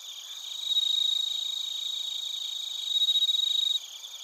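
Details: Crickets, including bell crickets, from Narita in Chiba, Japan, captured with a TASCAM Portacapture X8: one loud, close, rapidly pulsed trill swells twice over a background of shrill continuous insect chirping.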